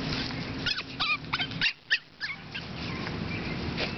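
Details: Seven-week-old AKC Boston Terrier puppies from the litter of Bosarts Sparkle and Champion General Lee give short, high whimpers and yips in quick bursts, rising and falling squeaks, then a quieter pause with faint background murmur.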